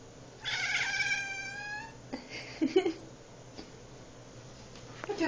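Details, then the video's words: Domestic cat making funny noises while watching bugs, indoors; a high, stacked, drawn-out call of about one and a half seconds, followed by a woman softly asking where the bugs went, with faint clicks. "My cat funny noises at bugs."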